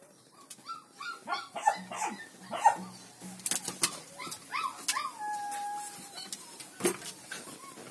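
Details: Black four-month-old village dog puppy giving high, thin whines with a few short yips, some rising and others held level, mixed with sharp clicks and knocks and a low steady hum.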